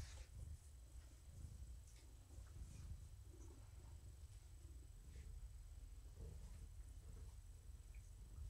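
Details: Morticia, a cat found at the door of a Purrfect Pals volunteer, purring while being petted in the evening; a steady low rumble with rhythmic pulses runs throughout, with faint soft clicks and rustles above.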